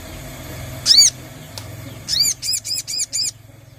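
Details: Sogon, a treeshrew, heard in a lure recording meant to make it call: one high arched squeak, a faint click, then a quick series of five arched, whistly squeaks at even intervals, with soft low rumble beneath.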